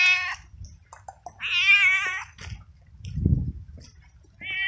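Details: Lone male street cat, drenched by rain, frightened and cold, utters loud wavering meows, two full ones and a short start at the end, with a dull low thump between them.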